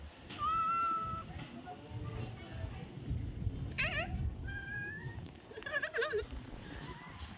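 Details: Domestic cat during ear cleaning, letting out a long high steady meow, then several shorter wavering and rising meows in quick succession, with soft background rustling and a person speaking Vietnamese.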